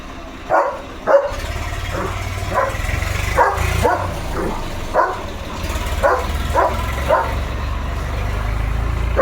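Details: German Shepherd named Leo playing with a balloon: a run of roughly a dozen short, sharp barks spaced under a second apart across nine seconds, over a steady low background hum of music.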